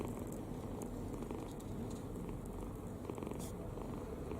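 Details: Kitten dozing with its mouth open, utterly at ease, producing an unbroken deep rumbling snore at even loudness, with faint soft ticks above it.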